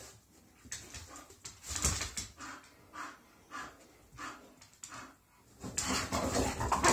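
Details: English Bull Terriers at home greet each other after their morning walk and breakfast, a daily routine, with a run of whiny, yodelling moans and whimpers, rising and falling.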